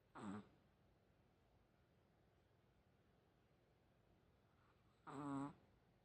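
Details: Sleeping Chihuahua that always snores like a pig: two short, nasal snorts about five seconds apart, each a brief buzzy rasp, with near silence between.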